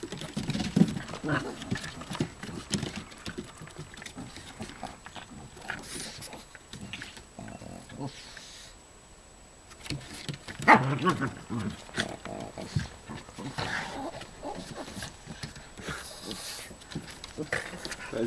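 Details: Two Boston Terriers growl and snort in rough bursts while play fighting on a cottage dock, with people talking nearby.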